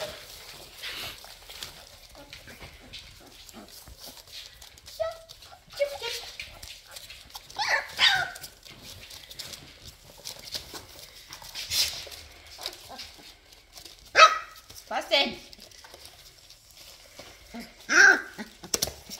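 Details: Labrador Retriever puppies during cuddling and toilet training: scattered high, thin squeaks and short whines rise above soft rustling, with the clearest cries near the middle and end, and quiet human talk between them.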